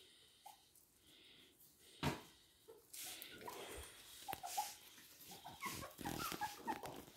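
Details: Toy and miniature poodles indoors in Hahnstätten, 19 February 2022, giving brief high-pitched whimpers: one early squeak, then a run of short tonal whines in the last two seconds over shuffling and breathing noises.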